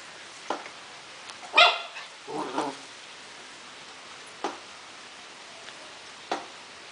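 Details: Four-month-old Akita Inu mixed-breed puppy at play, letting out one loud, ringing bark followed by a soft rumbling scuffle, then only occasional taps in a quiet room.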